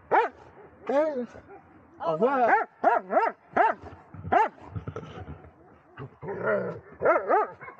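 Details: Elderly Dobermann Magmar Von Der Burgstätte, 11 years 7 months old, delivers a lively string of arched, high yelping barks, often in quick pairs, about a dozen in under eight seconds, with a brief rustle near the end.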